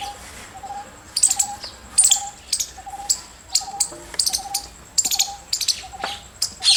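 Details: Squirrel giving bursts of sharp, high chirps, several quick notes per burst about every half second, with a softer repeated lower piping note and a faint steady high hiss.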